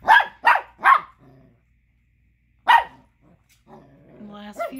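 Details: An angry Chihuahua pup gives sharp, high yapping barks in a quick burst, with a person talking, upset because another dog is chewing a tiny bone he wants.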